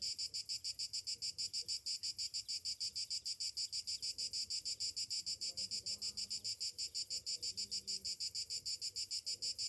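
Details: Cicadas on a summer morning keep up a piercing pulsed drone, about three beats per second, while faint low calls come and go beneath.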